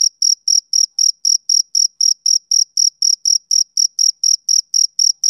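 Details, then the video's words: Male cricket producing a fast, regular train of shrill chirps, roughly four each second, unbroken throughout, nothing else audible. "Cricket Chirping Sound Effect"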